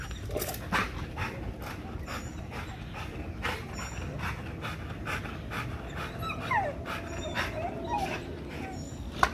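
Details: Hard exercise on a spring pole leaves an XL American Bully breathing in continuous heavy, noisy pants, with a short whine-like squeak near the end over a low background rumble.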